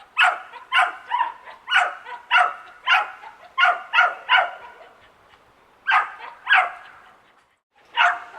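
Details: Suburban backyard with a young dachshund barking nonstop: clusters of quick, ringing barks in the first half, a short lull, then a few more spaced barks and a final one near the end.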